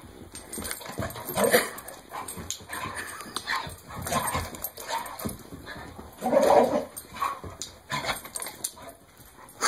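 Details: Pet dog shaking a Kong bone wildly at play; throaty growling bursts come in irregular waves, loudest near the start and middle, mixed with knocking and rattling from the rubber toy.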